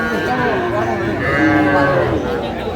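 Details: Small bull and heifer calves for sale at a Pabna, Bangladesh cattle market, 12/5/25; a sustained, smoothly bending moo fills this short moment, set against dense background talk from buyers and sellers.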